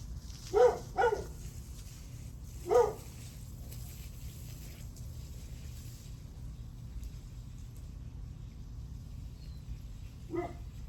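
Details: {'caption': 'Barking dog heard at 8:38 am on July 9. Three loud barks come early, then a long quiet stretch with low background rumble, and one fainter bark near the end.'}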